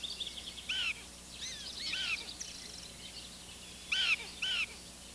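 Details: Prairie dogs in their town in Western Canada vocalizing as mule deer pass through, not alarm calls: short, high, arched chirps, some in quick pairs, scattered over several seconds against a steady outdoor hiss.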